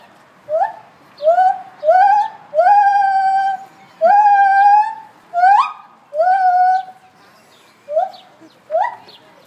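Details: A gibbon at Living Treasures gives its mating call, a series of loud, rising, hooting whoops, some brief and some drawn out.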